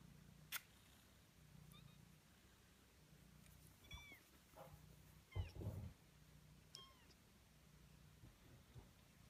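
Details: Kittens 18 days old giving a handful of faint, thin mews, each a short high note that bends up and then falls, scattered over a low steady hum with a few soft clicks.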